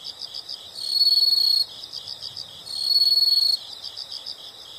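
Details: Shrill insect trill sounding twice, each burst under a second long, separated by quieter pulsing chirps, a soothing nature background.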